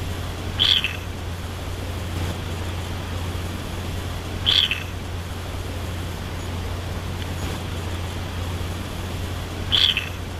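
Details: A turtle gives short, high, squeaky chirps like small birds, spaced several seconds apart over a steady low hum; turtles call to communicate with another turtle but are mostly silent.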